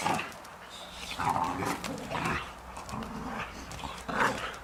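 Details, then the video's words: Boxer dogs fighting: rough, throaty growls and snarls come in uneven bursts, with short sharp yelps breaking through. "Немецкие боксеры дерутся. Boxer Dogs."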